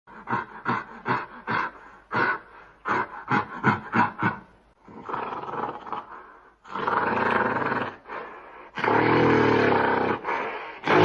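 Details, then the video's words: Gorilla giving a rapid run of short, harsh grunting barks, about three a second, which build into longer, rasping roars that grow louder and broader toward the end. "Gorilla Sound Effects"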